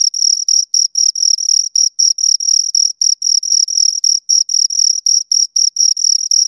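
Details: A pair of crickets gives ringing, high-pitched chirps in short bursts, now and then grouped into longer runs, continuous across the stretch against total quiet.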